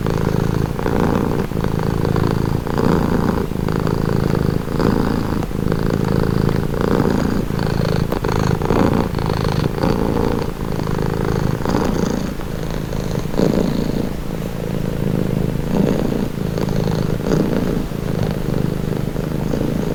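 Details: Domestic cat purring steadily, presented as calming and relaxing; a continuous low rumbling purr with rhythmic pulses, alternating inhale and exhale phases roughly every second, close and dry indoors.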